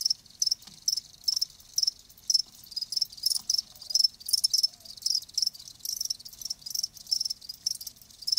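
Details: Live crickets keeping up a steady series of shrill, high chirps about two per second, each a quick buzzy trill, with other crickets softer behind.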